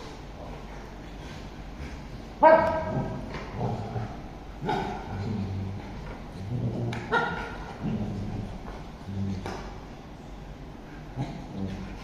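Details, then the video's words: Bullmastiff and Shih Tzu squabbling over a couch indoors: low rumbling growls come in bursts, broken by sharper yips and snarls, with scuffling between them. "bullmastiff vs shihtzu couch fight"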